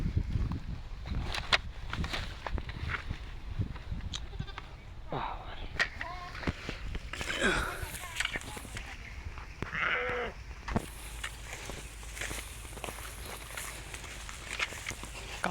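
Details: Garole sheep grazing on grass near a canal by a harvested rice field. Several short, wavering bleats come at about five, eight and ten seconds, mixed with a man talking close by and outdoor background noise.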